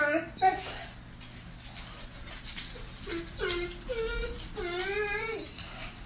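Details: Greater Swiss Mountain Dog named Frances whining indoors when the electric man comes to the house; wavering, rising and falling tonal whines with harmonics, mostly in the later seconds, over a steady low hum and faint room noise.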